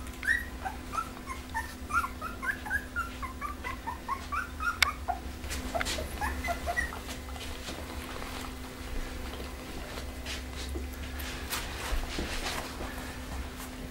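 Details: Pembroke Welsh Corgi whimpering: a quick run of high, squeaky whimpers over the first five seconds, followed by rustling and scattered clicks, with a steady low hum throughout.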